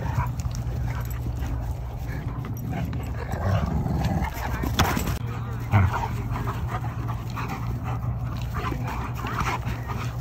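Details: Dogs wrestling at a friendly dog park in Bend: a German Shorthaired Pointer and a Rhodesian Ridgeback puppy, one barking to keep the puppy away; steady low hum underneath, with occasional sharp bark-like bursts and scuffling.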